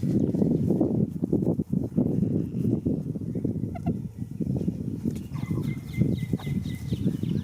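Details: Goat asleep in a field on the first day of spring, snoring with a dense, rough, low rumble made of rapid pulsing bursts, while a small bird chirps thinly in the background near the end.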